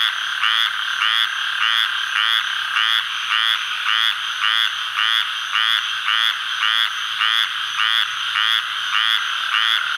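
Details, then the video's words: Calling male squirrel treefrog from the Atchafalaya Basin of south-central Louisiana, recorded July 11, 2013: short raspy, buzzy notes repeated steadily, nearly two per second, in a continuous even series. "Calling male Squirrel Treefrog, Hyla squirella"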